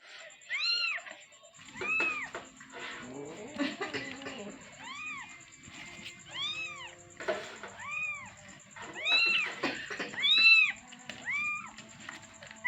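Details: Kitten calling for its mother with a run of loud, rising-then-falling meows, each about half a second long, repeated roughly once a second at an uneven pace, over a faint steady high whine.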